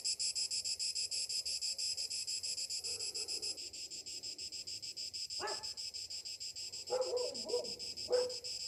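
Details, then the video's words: High, throbbing cicada song fills a summer morning. Pulses come fast and even, while a few short barks and yelps break in toward the end. "Morning summer cicadas sounds"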